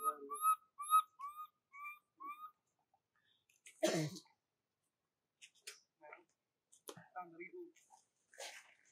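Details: Baby monkey crying and calling for its mother until it falls asleep: a run of five clear whistled cries, each a short bending tone with overtones, about one every half second, followed by rustling and handling noises.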